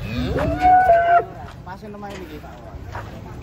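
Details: Giant cattle coming down from a truck in the morning in Indonesia: one loud harmonic moo that rises and then holds steady for about a second, followed by quieter lowing and background chatter.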